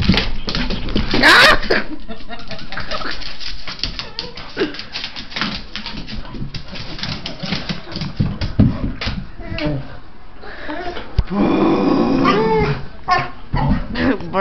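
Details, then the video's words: A pet dog indoors freaking out at noises made through a tube: bursts of rough barking and growling, then a stretch of high whining cries, with people talking and laughing nearby. "Greatest DOG freakout ever 2"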